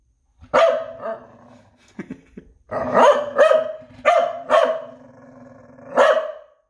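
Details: Noodles the dog delivering a run of loud, ringing barks, a couple of quick pairs and single yaps, with a lingering low grumble after the first bark and a brief quiet patch midway.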